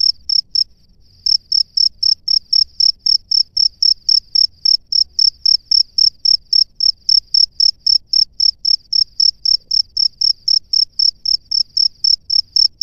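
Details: Male cricket singing at its burrow to call females: a steady run of high, pure chirps, about four per second, sharply pulsed and continuous, over faint low rumble.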